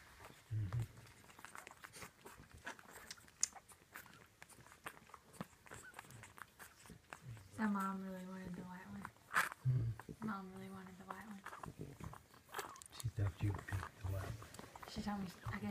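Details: Two-week-old French Bulldog puppies, a litter of five (two Sable Red males; Sable Red, Blue Pied and Tri Pied Sable females), feeding indoors with their mother Zoe Isabella. Two drawn-out, steady whining cries rise above shuffling, with people talking nearby.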